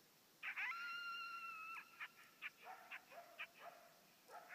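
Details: A coyote howling and barking at an electronic predator caller gives a drawn-out, wavering howl, then a run of sharp yips and short barks.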